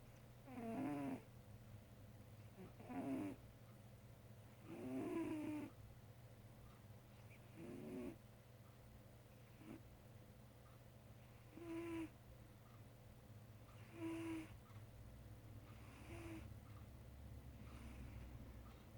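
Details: A dreaming, sleeping cat snoring softly indoors: breathy snores with a faint nasal hum repeat irregularly every two to three seconds, about eight in all, over a steady low hum.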